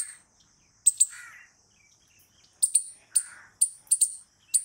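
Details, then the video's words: Squirrel giving sharp, very high chip notes, often in quick doubles, separated by short pauses, with a faint lower chirping in the background. "Squirrel Noises Loud | Squirrel Sound Video"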